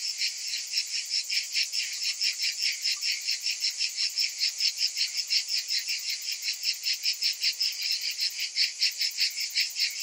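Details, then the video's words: Summer cicadas fill the air with a piercing, high rasping drone that swells and fades in rapid rhythmic pulses, around two and a half per second, without pause. "Cicadas in Summer"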